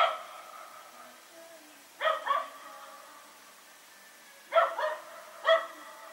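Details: Rex, a dog, and a companion barking during the night on September 21, 2018 while running around; a quiet stretch, then a double bark, another pause, and two more sharp barks close together.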